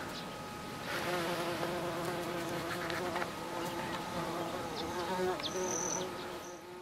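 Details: Bees at blue flowers in July 2013: a steady, low droning buzz with a rich layered tone, rising and falling slightly as the insects move, with a few faint high chirps near the end.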